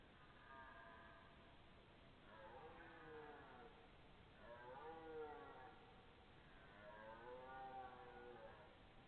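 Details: Red deer belling on September 12, 2014, possibly two animals: three drawn-out, harmonic-rich moaning calls, each falling and then rising, spaced about two seconds apart against a hissing background.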